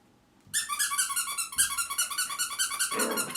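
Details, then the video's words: A lively three-month-old female mixed-breed puppy named Bokjin yaps during wild indoor play: a dense, unbroken stream of very high, shrill, squeaky yips, roughly two or three per second, with a rougher, breathier sound at the end. "미쳐 날 뛰는 3개월 된 아기강아지 실체ㅋㅋㅋㅋㅋ Mad Dog"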